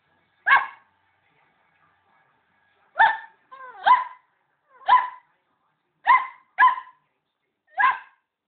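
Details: Border Collie puppy meeting a pet hamster indoors, yapping at it: seven short, high, sharp yaps spaced irregularly, some in quick pairs, with silence between.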